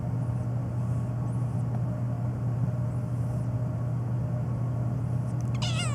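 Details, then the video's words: A black house cat that meows nonstop, especially at sneezing; after a long stretch of low humming background, one brief, quavering meow sounds right at the end. "My Black Cat Meowing Nonstop, especially to sneezing"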